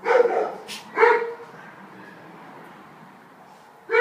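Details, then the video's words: Stray Alsatian pup, a roughly five-month-old female from around Weymouth awaiting adoption, lets out two sharp barks close together, falls quiet for a few seconds, then starts another bark at the very end. "Alsatian puppy"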